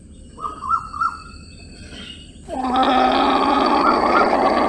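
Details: Llama: a few soft, wavering tonal notes, a pause, then a sudden loud, harsh, sustained call rich in harmonics that holds steady for about two seconds until the end.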